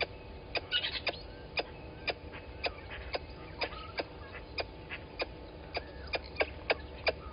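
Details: At Gowrie dam waterhole in Djuma Game Reserve, Sabi Sand Wildtuin, South Africa, a squirrel scolds a water monitor lizard below the camera, 11:45, 10/04/20: steady series of short, hard clicks, roughly two per second, with bird chirps mixed in.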